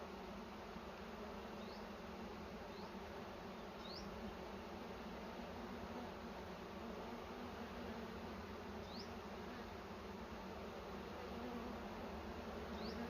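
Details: Continuous low buzzing of bees at a nest in a cashew orchard during honey collection, thick and unbroken, with brief high rising chirps scattered across the recording.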